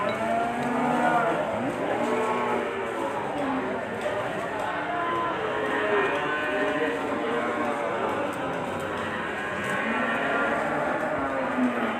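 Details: Large bull, described as calm and not aggressive, offered for Qurban sacrifice. Many cattle low in overlapping, wavering moos with rich harmonics, some sliding downward, over steady music and a crowd's hubbub.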